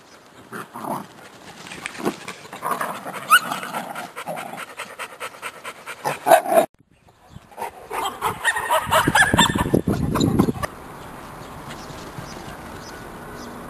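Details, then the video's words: Sealyham Terrier puppies of a 2017 kennel litter on an active morning: rapid panting and scuffling with brief squeaky notes, a short silence midway, then louder breathy panting that stops abruptly. "Sealyham Terrier puppies"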